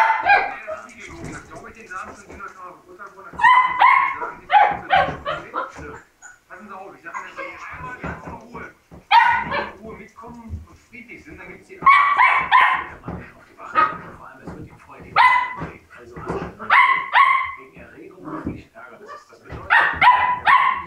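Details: Labrador Retriever puppies taking leave of their siblings: high, harmonic whining yelps come in bursts every few seconds, mixed with quieter murmuring and voices between them.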